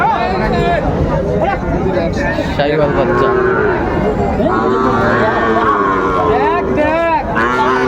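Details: Sahiwal bull calves at a crowded cattle market near Dhaka, 30 August 2024, as farmers buy stock; several drawn-out, wavering moos overlap one another amid steady chatter and bargaining voices of many people.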